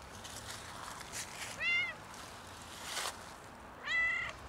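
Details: Outdoor cat freezing in winter cold, struggling for warmth and food: two clear, loud, arching meows with rich harmonics, near 1.7 and 4 seconds, over faint background hiss and a few soft noises.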